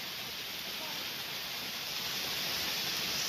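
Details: Steady broadband rushing like flowing water or rain fills the recording, with no animal calls audible.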